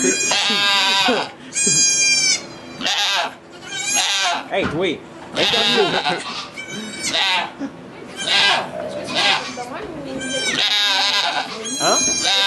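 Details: Goat bleating during a birth of two kids in a sugar shack in Quebec, Canada, recorded on an iPod Touch 4G; high, harmonic-rich bleats repeat through the clip, overlapping steady French conversation from people nearby.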